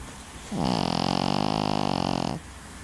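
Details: A single drawn-out snore from a Pekingese, roughly two seconds of even, fast-pulsed rattling breath with a soft start and abrupt stop, surrounded by quiet.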